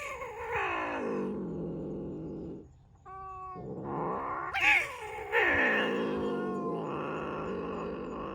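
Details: Domestic cats at the Sunset Cats House on Ogijima, an art and cat island in Japan: long, drawn-out meows sliding down in pitch, with a short bright call midway, over steady low background noise.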